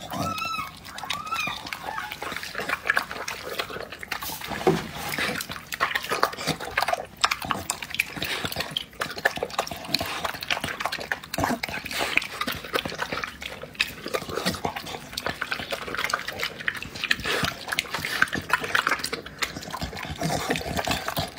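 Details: Dog eating, said to be due to give birth the next day: continuous wet, smacking chews and slurps in rapid irregular bursts, preceded by a brief rising voiced sound at the start.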